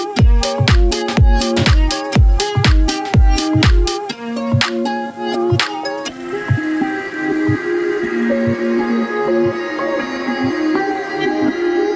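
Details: Loud electronic music opens with pounding rhythmic beats, then shifts to sustained synth chords and melody with no animal voice heard.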